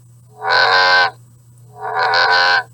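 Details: American bullfrog, one of the larger frogs of the Fort Worth area, gives two drawn-out, low droning calls, each about three-quarters of a second, reedy and rich in overtones, played from a sound-card device.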